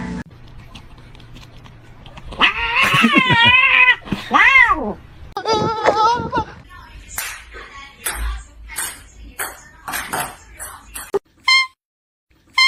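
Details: Domestic cat or kitten meowing: several drawn-out, wavering meows with a rising-then-falling pitch in the first half, then sharp clicks and short bursts, with people laughing and talking nearby.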